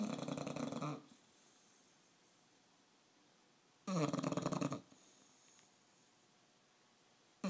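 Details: Bulldog asleep, giving loud raspy snores. Two full snores about three seconds apart, each lasting near a second, and a third just starting at the end, with near silence between.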